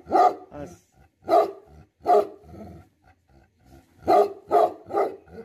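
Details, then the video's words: Irregular angry barking from a Tibetan Mastiff, the Himalayan breed called Bhote Kukur: single deep barks spaced about a second apart, then a closing burst of three. "Angry dogs barking effect sound ||Tibetan Mastiff || Bhote Kukur"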